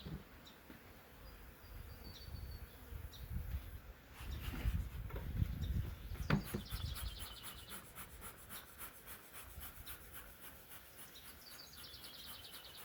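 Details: Agitated honey bees from a huge swarm caught in a woodland swarm trap, taken from a wild colony and being moved into a hive; low droning hum with thumps and handling noise, bird chirps and a clicking insect trill above.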